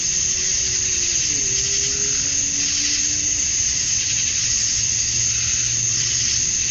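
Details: Dusk cicada chorus from a summer night in Georgia, USA, males chirping to attract females: constant high-pitched buzzing, with a faint low humming drone sliding underneath in the background.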